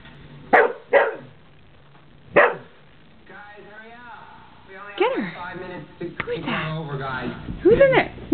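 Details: Puppy barking while trying to play with its own reflection in a mirror: three short, sharp barks in the first few seconds, followed by a woman talking to it.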